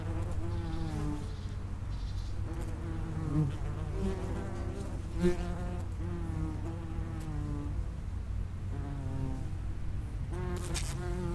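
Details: Common wasps flying at an underground nest entrance: many overlapping harmonic buzzes with bending pitch over a constant low hum, occasional soft taps.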